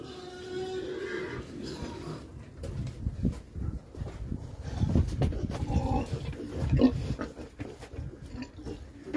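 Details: Pietrain/Duroc pigs kept for piglet production: low, rough grunts come in irregular bursts, mixed with rustling and scuffling noises.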